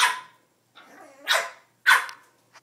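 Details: A Boston Terrier gives a few sharp, high barks with short gaps between them, wanting to play with her reflection in a mirror.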